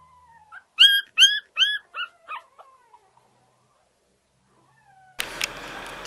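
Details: Pug puppy giving a soft, drawn-out whine, then a quick run of about six high yips that fall in pitch and fade over two seconds. Silence follows, then a burst of rustling noise at the end.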